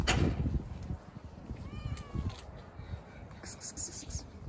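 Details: Cat among other cats, one sniffing another's rear end, gives one short meow midway that rises then falls, over a steady low outdoor rumble with faint voices and scattered clicks.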